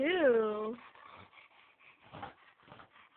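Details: Indoors, a male Chow Chow rolls about on a yoga room floor, marking the room as his: one loud, rising-then-falling whine, followed by quiet human speech.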